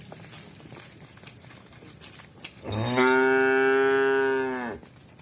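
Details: Cow (Bos taurus), moo.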